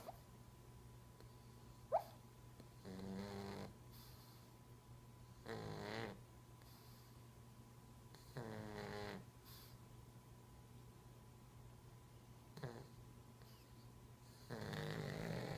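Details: A silver pug sleeping and dreaming, snoring softly: slow rasping snores roughly every three seconds, each a rattly breath, with a faint steady hum in the background and a brief click early on.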